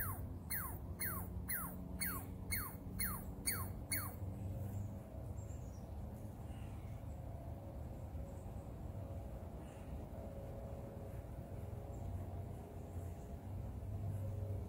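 A young Douglas squirrel squeaks about twice a second for a few seconds, each note sharp and sliding downward. After that only a steady low rumble of background noise remains.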